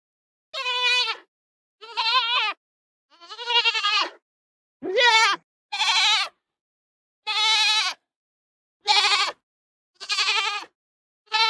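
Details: Baby goats bleating in a clean, close series of about nine short, quavering calls, each a bright harmonic bleat under a second long, separated by brief silences.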